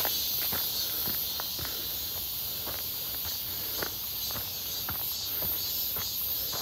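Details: Midsummer walk near Seonbawi on a clear, hot 1 August 2023: a sustained shrill cicada hum runs the whole time, and footsteps tap out an irregular beat below it.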